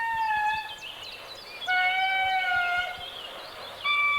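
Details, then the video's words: Indris, lemurs in Madagascar's dense forest, sing in turn group by group. Each starts with short barks and ends in long, sustained, slightly falling wails, voices overlapping. They call to locate one another, audible over 3 km, for about half an hour. "Un premier groupe commence, chaque Indri pousse alors la chansonnette."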